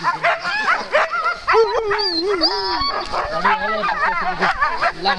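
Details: Alaskan malamute teams waiting at the start of Metsäkartano Sprint sled race, 4 March 2012; many dogs bark and give drawn-out wavering howls and whines, overlapping, with people talking nearby.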